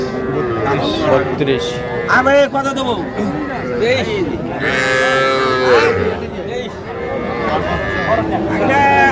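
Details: Young Sahiwal bull and heifer calves at a cattle market in Faridpur, Bangladesh, 17 March 2025, give repeated drawn-out harmonic moos that overlap with steady bargaining chatter from buyers and sellers.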